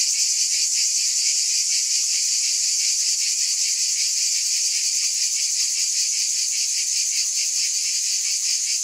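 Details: Steady shrill drone of cicadas, a thick high buzz that pulses rapidly without pause and stays level in volume, nothing else audible.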